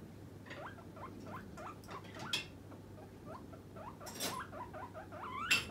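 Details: Pet guinea pig named Puipui calling for food as snack time nears, a hungry demanding call: a run of short rising squeaky wheeks repeated several times a second, with a few sharp clicks and rustles and a steady low hum.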